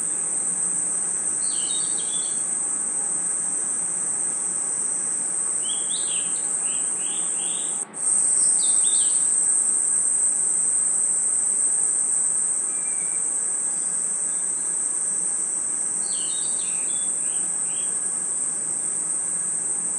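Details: Night-time forest crickets give a continuous shrill, even trill. Brief clusters of higher chirps come from other callers, and a short break with a click interrupts the sound near the middle.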